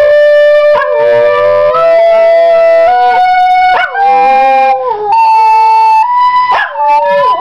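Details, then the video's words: Pet Yorkshire terrier howling along with a recorder, wobbling, gliding notes that bend up and down over and around the steady held recorder tones, with sharper yips and bursts in between. "Yorkie sings for first time!!!!!!"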